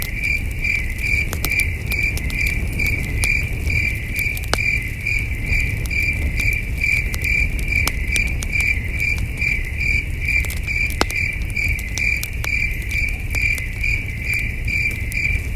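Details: Long stretch of nighttime cricket chirping at a wilderness camp, the thin high pulses steady and unbroken at a little over two per second, with frequent campfire crackles and a low rumble of cool night breeze.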